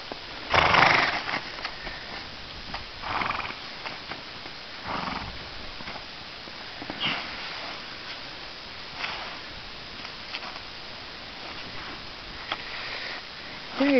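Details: Filly named Flame on her first time out in spring, shedding and rolling in a snow bank, meeting Polar, a Great Pyrenees guardian dog; loud broadband bursts recur every couple of seconds, one strong harsh cry near the start, rustling between.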